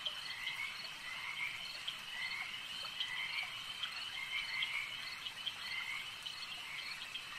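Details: Lakeside frogs croak in a busy chorus, with bright, slightly rising trills recurring about once a second against a continuous shrill buzz from other callers.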